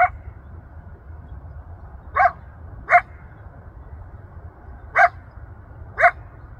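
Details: Wild coyote in Rancho Sierra Vista open space, Newbury Park, Ventura County, calling for family and friends, audible from a mile off; five short, abrupt yelps spaced one to two seconds apart against faint background hum.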